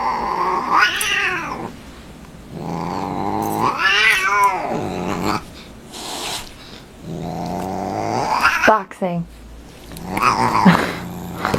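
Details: Talking cat letting out four long, wavering yowls, each rich and bending up then down in pitch, roughly every three seconds, with faint voices in the background.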